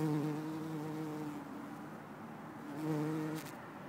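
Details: Bumblebee in Lisbon on 4 December 2011, possibly Bombus hortorum or Bombus terrestris. A deep, harmonic-rich buzz drones for over a second, falls away, then returns briefly before fading again, with a short tapping noise nearby.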